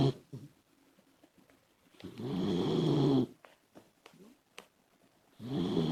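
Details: Female Labrador Retriever puppy Komachi asleep and snoring loudly: one long rough rumbling snore over a second long, soft clicks and small breaths, then another snore beginning.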